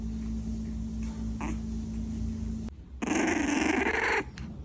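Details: During his first playtime on the couch, 2-month-old French Bulldog puppy Jimmy lets out one drawn-out, growly bark-whine lasting about a second. Quiet low hum and faint room noise come before it.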